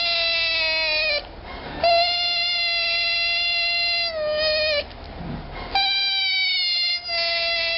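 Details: Baby African clawless otter, rare, voices long, even, flat-pitched whines of about three seconds each, separated by brief breathy pauses.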